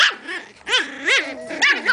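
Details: Playing miniature pinscher puppies, five litters together in Otego, New York: a run of four high arched yips about every half second, thin and squeaky with rising-falling pitch.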